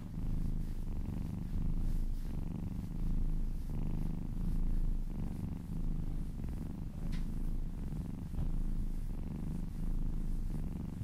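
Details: Kitten purring during a relaxing massage, a low continuous rumble that swells and fades in slow waves matching its breaths, with faint rubbing or handling noises and a brief soft click partway through.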